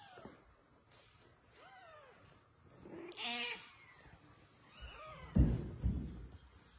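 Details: A mother cat calls insistently, asking a man to give her kitten back. Several arched, harmonic meows come a second or two apart, one louder and longer, with a few dull thumps near the end.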